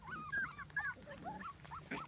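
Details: Puppies playing together: a quick run of high, thin whines and yips, several rising and falling slides in close succession, with soft scuffling underneath.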